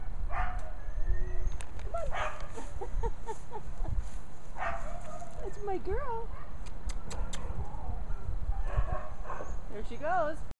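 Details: Puppy Angela of Eskridge Kennel, born March 13, 2014 to Shasta and Xerxes, makes repeated wavering whimpers and squeaky yips, with clusters near the middle and end, over steady low-pitched background rumble and occasional clicks.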